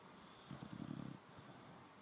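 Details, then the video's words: Sleeping dog giving a short, fluttering snore, a rapid rattling pulse lasting under a second, low-pitched, against faint background hiss. "Let sleeping dogs snore"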